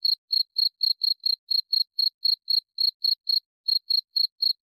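A cricket chirps steadily, short high pulses repeating about four times a second.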